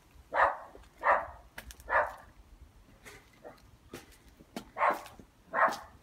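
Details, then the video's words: Dog barking happily in a garden during a garden furniture delivery, five sharp barks spaced under a second apart with brief clicks and knocks between them. "plus happy barking dog"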